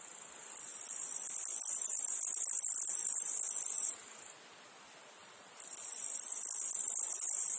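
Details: In a meadow field, a cicada gives a continuous, very high sizzling drone that builds in loudness, stops abruptly for over a second, then rises again; little else is heard beneath the insect chorus.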